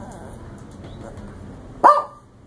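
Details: At the Ocean Villa Inn at Dog Beach, one of a pack of four small and mixed-breed dogs lets out a single loud, abrupt bark after several seconds of quiet human chatter.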